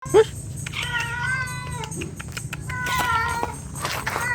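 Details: Domestic cat in heat: several wavering harmonic meows, some rising then falling, over a constant low hum and faint background music.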